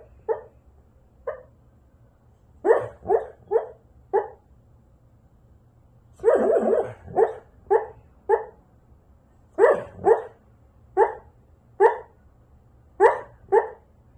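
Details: Siberian Husky, a pet dog, barking in uneven bursts of two to five short, sharp barks separated by brief pauses, with one longer, rougher woof around the middle, in a quiet indoor room.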